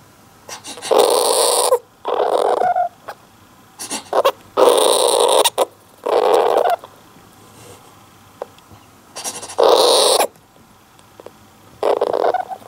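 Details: Caged male golden hamster, possibly half asleep or irritated, giving repeated harsh, noisy squawking cries in bursts of about one second, separated by pauses with soft rustling and small clicks.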